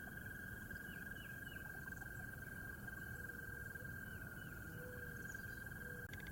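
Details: At sunrise in early spring at a pond in the lower North Carolina Mountains, frogs keep up a steady, unbroken trilling chorus, with high chirps from birds including red-winged blackbirds staking out territory, wood ducks feeding, distant mourning doves, and a low rumble.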